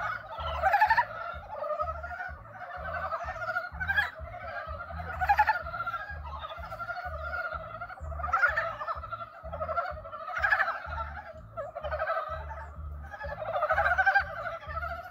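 Frogs give rough, pulsing croaks in repeated bursts as a courtship call, over a low rhythmic throb.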